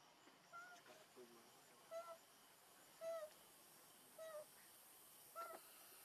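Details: Hungry baby monkey Leo crying as it begs its mother for milk, giving short, plaintive, slightly falling wails roughly once a second, each separated by quiet. A few lower murmurs come early on, over a steady hiss.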